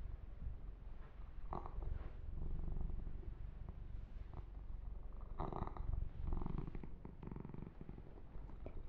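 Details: Male kitten named Yumak purrs continuously while being massaged and groomed; deep, even rumble underneath, broken by several soft bursts of fur-rubbing and brushing sounds.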